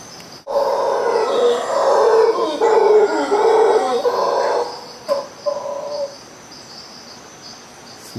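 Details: Howler monkeys close overhead in Costa Rica around 5 a.m. on a Monday, giving a wake-up chorus: deep guttural roaring swells for about four seconds, then breaks into shorter hoarse grunts that fade out, over a steady high insect buzz.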